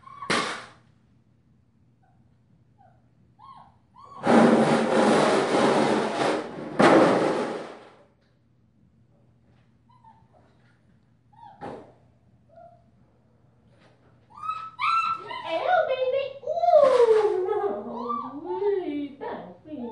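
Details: Five-week-old female German Shepherd puppy wearing a purple collar, from Ibon Jipo-Me and Witch von Wendelin, indoors; loud thumps and bangs early on, then from about fourteen seconds a run of wavering, rising and falling whines and yelps.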